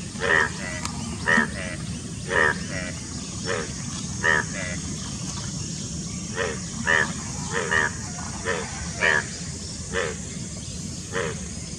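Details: Indian bullfrogs calling in courtship near Dombivali, Thane district, Maharashtra, June 2018; short harsh croaks repeat at uneven intervals, about one per second, against a steady low rumble of background noise.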